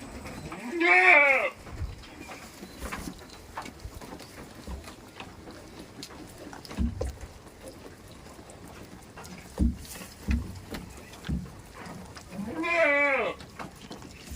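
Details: Goat on a village farm giving two loud, wavering bleats with rich harmonics, one at the start and one near the end, separated by quieter stretches of scattered knocks and faint background rustling.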